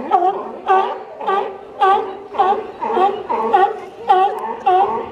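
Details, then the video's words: Sea lion at a dock, recorded in 2018, giving a steady run of loud, harmonic, wailing barks. Each bark bends up and then down, and they come about twice a second with short gaps between them. "Sea Lion Dock"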